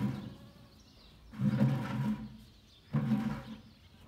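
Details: Low buzzing hum of a honey bee extracting nectar from saffron blossoms, autumn, Kashmir; two loud humming bursts, each about a second long, rise out of a soft background drone.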